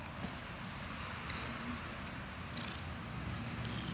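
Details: Two domestic cats cuddling together, a steady low rumbling purr running continuously underneath a broad hiss, with a few soft brief rustles on top.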